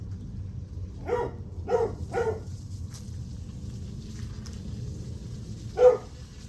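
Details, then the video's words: A dog barks at 8:38 am on July 9. Three quick barks come about half a second apart, then a single louder bark after a pause, over a steady low rumble. "Barking dog"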